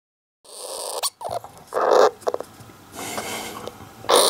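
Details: Golden hamster named Don-chan, alone in a cage, filmed crying again days after a strange early-afternoon cry, possibly half asleep or irritated; a harsh, noisy mid-pitched burst near two seconds, brief scratchy clicks, a hissy stretch, then another short rasp.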